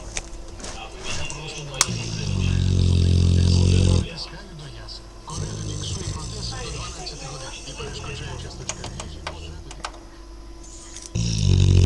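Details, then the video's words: Dogue de Bordeaux puppy dozing half-asleep, snoring like a locomotive: a deep, rough low rumble swelling loudly for about two seconds mid-clip, with quieter breathy snorts before and after and a loud rumble returning at the end. "Бордоский дог спит и поражает своим храпом"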